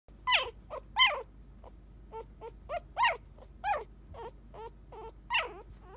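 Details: Female Japanese Spitz puppy at a breeding kennel in Japan, July 2017, giving a run of thin high whimpers and squeaky yelps, some rising then falling, about once or twice a second, over a low steady hum.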